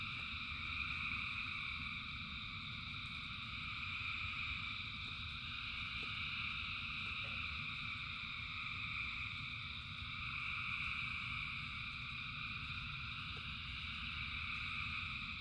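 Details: Frogs calling by the thousands during rain: an even, droning wall of high pulsing trills that swells slightly and fades, backed by a heavy, constant low hiss and rumble of rainfall.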